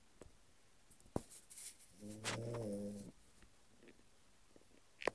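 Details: Sleeping French Bulldog indoors letting out one drawn-out, throaty, buzzing snore of about a second, framed by scattered soft clicks and taps.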